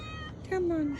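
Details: Isabel, a pet cat stranded in a flood and being rescued, gives a single short meow, a tonal cry that slides gently downward for about half a second, while a person calls her name and coaxes her softly over a background hiss.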